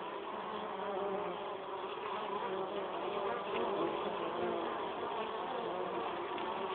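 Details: Honey bees carrying pollen into their hive, a continuous thick buzzing drone from many insects with a low steady hum and no pauses.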